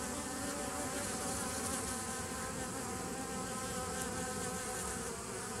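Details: Bees recorded 27 September 2018, a dense unbroken hum with layered low droning tones and a hiss spread across the higher range, steady in loudness throughout.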